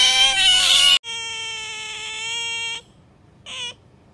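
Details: Pet otter named Bingo or Sakura: a harsh shrill burst, then a long, very steady piercing whine held almost two seconds, followed by silence and one short, faint squeak.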